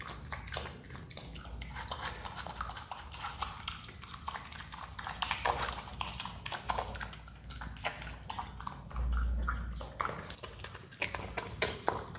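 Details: A pet Himalayan marmot (Marmota himalayana) eating watermelon, chewing noisily with wet crunching and rapid clicking bites.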